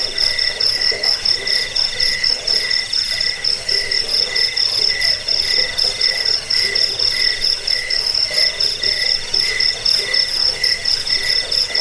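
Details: Cricket chorus, a recording used against rats, as a sleep aid and for tutoring caged songbirds; bright, high pulsed chirps repeat about twice a second over a continuous shrill trill, steady throughout.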